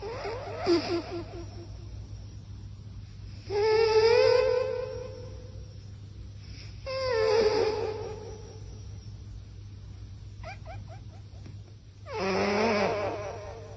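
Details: Sleeping cat snoring in a quiet room: four rhythmic bursts of whistly, warbling nasal tone, roughly one every three seconds, some sliding up and down in pitch, with faint low hum between breaths.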